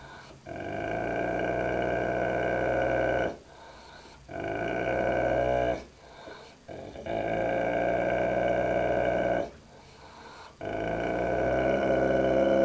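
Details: Kane, a Dogue de Bordeaux, growls at the dog in the mirror in long sustained rumbles of about two to three seconds each, separated by short breath gaps, five bouts in all.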